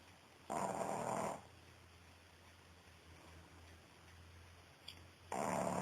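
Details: A female Pekingese snores in her sleep, each breath a rough, breathy rasp with a long quiet pause between.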